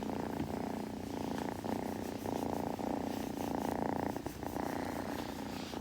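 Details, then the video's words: Kitten purring steadily while grooming, heard close up indoors: a continuous low rumbling purr with a soft pulsing texture and faint licking sounds over it. "子猫のASMR / グルグル音・毛づくろいの音など"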